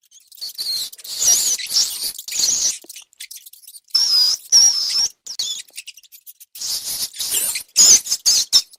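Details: Rats, or mice, recorded for a compilation meant to attract cats: bursts of high, thin squeaking and chirping with scratchy rustles, in clusters separated by short silences, sometimes sharp whistled peaks.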